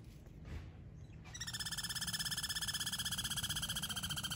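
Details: Squirrel squabbling over a scarce peanut supply. After a quiet start, a fast, buzzy, pulsing chatter begins and holds at about four pulses a second, rich and nasal, until the end. Faint low rumble behind.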